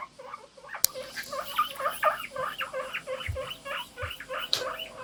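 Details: Pet guinea pigs squeak together in the morning, with a run of short, evenly spaced chirping notes, a sharp click near the start and a brief knock midway.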